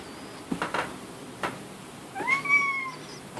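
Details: Domestic cat shut in a laundry room, wanting to go outside; a single drawn-out meow rising then gently falling near the end, preceded by a few knocks and thumps.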